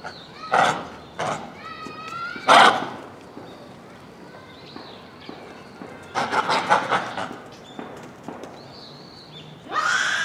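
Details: Japanese macaques in a zoo troop at Hamura, Japan, calling at dusk in December 2020: scattered harsh bursts and short stacked tonal calls, with bouts of noisy, clattering sound in between.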